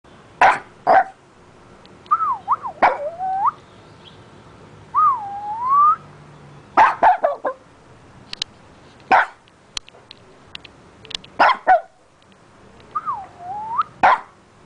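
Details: A neighbour's dog sneezing repeatedly: short, sharp, explosive bursts in quick pairs and singles, scattered through the recording, with thin wavering whine-like tones rising and dipping between them against a quiet background.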